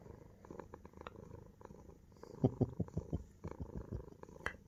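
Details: A male Munchkin cat, burrowing under his owner's armpit at bedtime wanting to sleep together, purrs in low, rumbling pulses that swell into louder throbbing bursts, loud enough that the owner complains of being unable to sleep.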